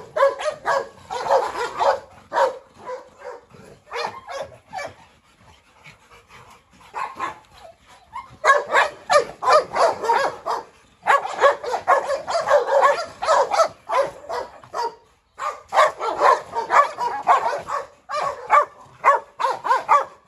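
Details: Yard scuffle among a brindle Presa Canario bitch, a Rottweiler called Pirate and a Staffordshire terrier. Scattered quieter barks give way to dense, loud volleys of rapid barking, with short pauses between bursts.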